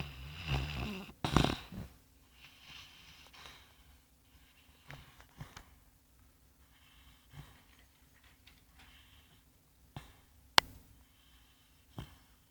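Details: Bongo, a sand-coloured Labrador Retriever, snoring while asleep indoors, likened to a piglet: loud rasping snorts in the opening two seconds, then softer breathy exhales with a few sharp clicks.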